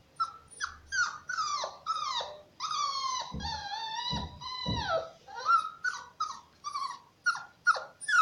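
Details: Shar Pei cross puppy up for adoption, giving a run of high yelping barks and drawn-out whines, some falling in pitch, with a few low thumps in the middle.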